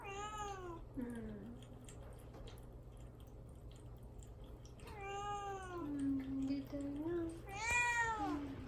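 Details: {'caption': 'Mamedaifuku, a pet cat shut in a cage before neutering, meows to get out: three arched cries, the middle one stretched into a long wavering wail, the last loudest.'}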